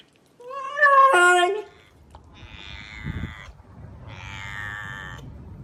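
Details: A domestic cat making a weird noise: a loud rising, wavering meow lasting about a second, followed by quieter drawn-out nasal tones and low room rumble.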